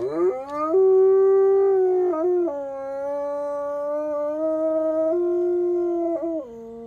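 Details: Sustained howl by an F-1 high-content wolfdog: a fast rising onset into a long, clear tone with brief breaks and small pitch drops, ending on a lower note.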